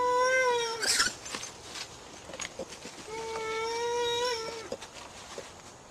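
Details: Ring-tailed lemur contact call played back time-stretched: two long, steady, tonal wails with rich harmonics, each about one to one and a half seconds, separated by a pause, with faint clicks and background hiss.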